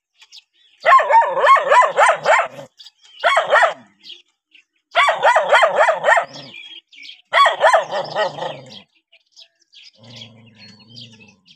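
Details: Dogs barking at a stranger in four vigorous bursts of rapid, repeated barks with short breaks between. A low steady hum follows at the end.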